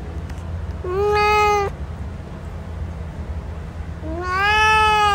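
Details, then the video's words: Male cat Hanzell utters two sustained meows, the first steady and bright, the second sliding upward and held, with a quiet gap between and a low background hum. "MALE CAT SOUND | Cat Hanzell Sound"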